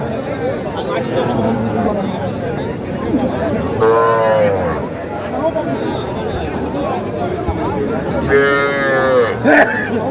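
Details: Small bulls and heifer calves being bought at a Faridpur cattle market, Bangladesh, 8 February 2025; two loud, arching moos about four seconds apart cut through steady human talk and haggling.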